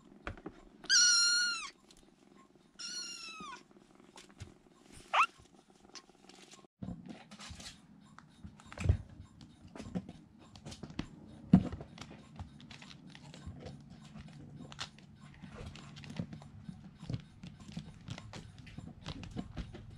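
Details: Rescued young kittens, three huddling in a room corner for warmth, give two high, falling mews early on, followed by long stretches of shuffling, scratching and low room rumble as they move about.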